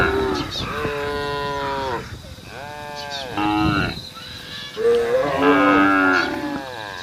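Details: Cattle on a road calling the herd: a series of long, harmonic, wavering moos, three drawn-out calls each lasting one to two seconds, the last rising and louder.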